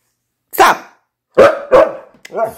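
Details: Siberian Husky, unhappy indoors on a rainy day and wanting to go out for a walk, filmed on an iPod: three loud, harsh barks with a short, whining yelp at the end.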